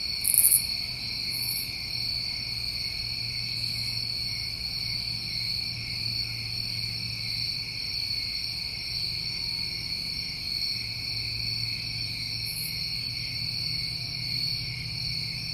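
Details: Night chorus of New England summertime crickets, continuous high trilling in stacked bands, punctuated by a few sharp very high chirp bursts near the start and around twelve seconds, a low hum underneath.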